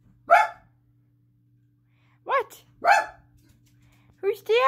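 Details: Pet dog shut in a bedroom barks at its owner to be let out when the mother comes home; short sharp single barks spaced about a second or two apart, ending in a longer yowl, with a person's voice nearby.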